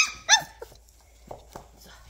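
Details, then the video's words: Labrador Retriever puppy during toilet training, indoors: one short, high, harmonic whine with a dipping pitch, then a few quieter soft yelps and thuds against a quiet room. "Welpenkuscheln und Welpentoilette"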